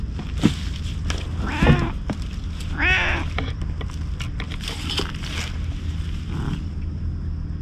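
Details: Stray boss cat at a lighthouse, looking displeased, filmed on a GoPro HERO8; two drawn-out wavering meows, the second higher and longer, among rustling, clicks and a low steady hum.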